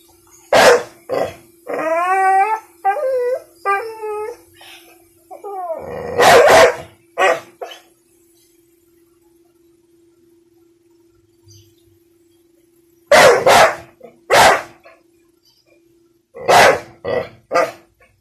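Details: Afraid of a little pink umbrella, the one-year-old American Bully Bentley mixes quick barks with a run of high, quavering, howl-like whines, falls silent, then resumes in short bursts of sharp barks; low hum throughout.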